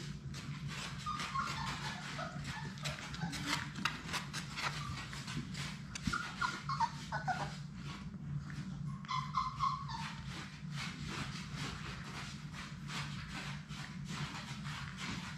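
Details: Sadie's six Labrador Retriever puppies playing together in a puppy play room; brief high whines sound early on and a clearer, ringing whine comes near the middle, amid busy pattering clicks of paws and a constant low hum.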